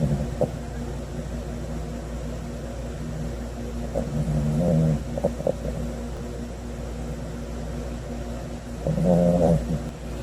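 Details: Sodam, a Cavalier King Charles Spaniel puppy, napping on a Sunday afternoon, 9 August 2020, snores in low, droning, rasping bursts around four and nine seconds, with a steady low hum beneath.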